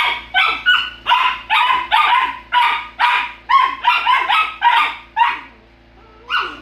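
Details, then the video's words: Bickering Golden Retriever puppies yap over and over, about a dozen shrill barks arriving roughly every half second. They break off briefly, then one last yelp closes the sequence over a faint steady hum. "Golden retriever puppies bickering"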